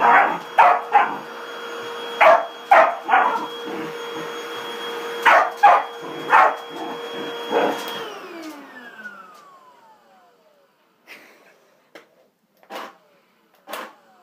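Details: Corgi barking at a running vacuum cleaner, sharp repeated barks in clusters over a loud steady machine drone that winds down and stops around eight seconds, after which softer, sparser barks and yips continue in quiet.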